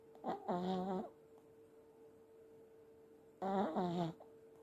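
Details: Old Pomeranian snoring in sleep, two long rasping, buzzy snores about three seconds apart with a quiet hum between them.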